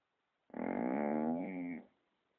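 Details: Dog in Romania snoring indoors, a single sustained, nasal, buzzing groan over about one and a half seconds, even and low-pitched, fading out at the end; nothing else audible.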